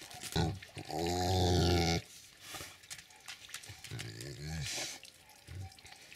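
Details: Tibetan Mastiff from a family of dogs, recorded 3 May 2022: a long, low, droning harmonic vocalization lasting about a second, a shorter one a few seconds later, and a brief low grunt at the end, over steady background hiss.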